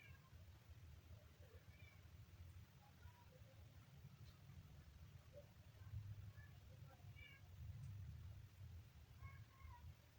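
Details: Kitten giving faint, short high mews scattered through the clip, several thin harmonic cries spaced a few seconds apart over a steady low background hum.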